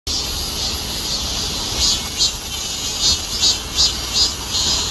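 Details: Cicada calling: a steady, high, hissing buzz with brief louder surges that pulse roughly every half second, filling the whole stretch over faint low rumble.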